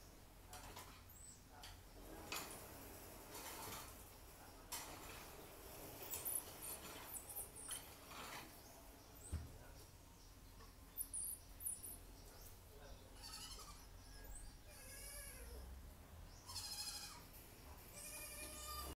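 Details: Pygmy marmosets at a home zoo in Thailand give thin, high squeaky chirps and short trills over soft clattering sounds.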